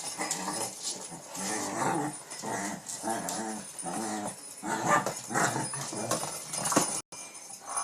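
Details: Late-night play in Pennsylvania: King Bubba the Shih Tzu growls steadily while worrying a cat toy, a continuous rumbling, pulsing growl with higher squeaky edges throughout.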